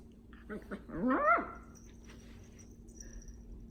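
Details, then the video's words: Female dachshund puppy, happy and dancing inside her blanket bed indoors, gives a few short rising whines that climb into a louder squeaky whimper, then quiet rustling. "Adorable dachshund puppy makes happy sounds in her bed"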